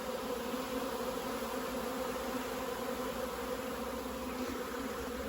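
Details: A swarm of honey bees leaving a hive and moving into a nearly empty queenless hive next door makes a very loud, dense, steady drone of many bees buzzing together.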